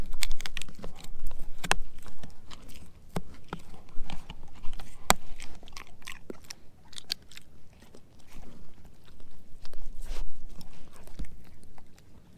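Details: Steady, noisy mastication as German Shepherd mix Edu works through a dehydrated pig ear chew: rapid crunches and crackles rise and fall in waves, with occasional sharper snaps.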